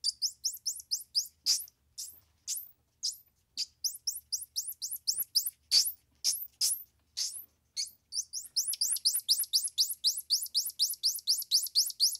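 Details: Rapid, high-pitched chirping from a squirrel monkey, about four notes a second, each a short descending sweep, with a few longer squeaky notes in the middle and a dense burst of chirps toward the end.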